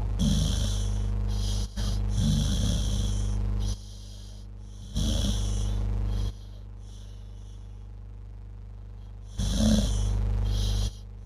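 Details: A dog asleep and possibly dreaming gives low, rasping snores in irregular bursts, with long quieter gaps between breaths and a constant electrical-sounding hum.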